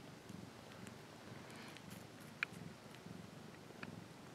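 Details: Domestic cat giving a quiet, low purr with gentle breathing pulses, interrupted by a sharp click and a few soft higher ticks.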